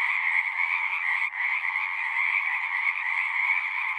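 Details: Many frogs singing at a pasture pond, recorded with a Zoom device; continuous overlapping trilling croaks with one brief dip in the chorus just over a second in, then the dense calling resumes.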